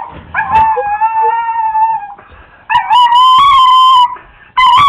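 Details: Excited pet Chihuahua giving a steady, sustained howl that holds level, breaks off, then returns slightly higher and wavering before a final short rise, indoors with little background noise.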